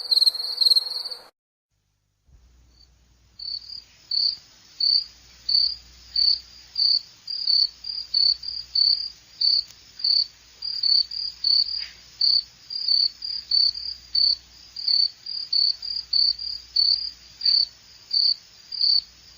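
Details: Cricket chirping, offered as relaxing sleep sound: steady high pulsed chirps repeated about every half second, after a brief opening burst of other sound and a short silence; faint low rumble beneath.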